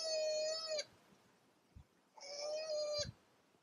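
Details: Koalas, a male and a female, fighting during mating season; two drawn-out, steady, nasal wails about a second long each, rich in overtones, separated by a short pause with faint thumps.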